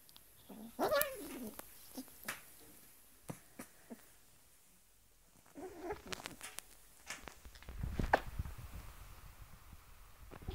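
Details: Domestic cat, angry whenever it sees socks, a habit it has had since it was a small kitten, indoors; brief wavering yowls near the start and again around six seconds, amid sharp clicks, rustling and thumps.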